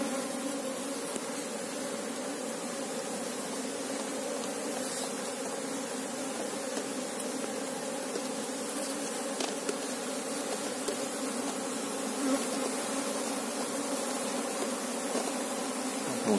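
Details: Asian honey bees (Apis cerana) at a hive while a beekeeper searches for the queen; a steady, dense hum of many wings with layered low tones, unbroken for the whole stretch, with faint handling clicks.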